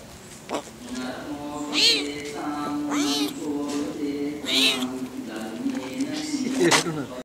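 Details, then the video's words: Leopard cubs crying with short, high, arching mews at irregular intervals, about four calls, over a steady low background tone. "Leopard cubs"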